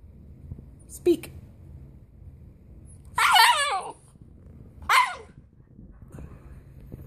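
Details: Siberian Husky indoors vocalizing when asked to speak about its bone under the couch; a short yip, then a drawn-out wavering howl-like talk of about a second, and a shorter second one, with a person speaking.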